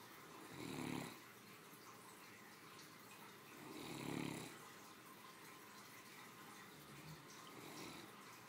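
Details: Three-year-old female Great Dane, a family pet, sleeping after her midday meal: deep rasping snores about three seconds apart, two strong breaths and a softer third near the end, with quiet hiss between.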